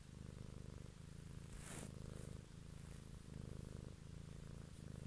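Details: Close, steady purr from a cat recorded one evening for ASMR; low vibrating drone with rhythmic breath cycles about every second and a short rustle midway.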